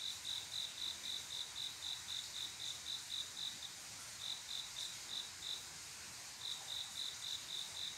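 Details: Cricket love song at night, the male calling for a mate; bright, high chirps pulse about four per second, broken by two short pauses before resuming, against a gentle hiss.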